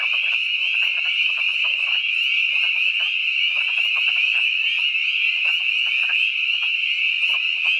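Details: Spring peepers and wood frogs calling together at twilight on March 11, 2012, at ThorpeWood in the Catoctin Mountains, Frederick County, Maryland; a dense wall of shrill, high peeps runs unbroken over low, rapid, clucking croaks.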